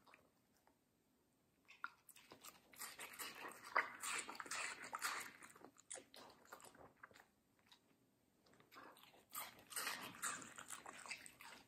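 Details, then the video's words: Middle, a medium-size fluffy female Samoyed, eats juicy, crunchy watermelon indoors. Wet crunching bites come in dense bursts, roughly two to five seconds long, separated by brief quiet pauses. No other clear sounds. "ASMR Dog Watermelon Review - Middle the Samoyed"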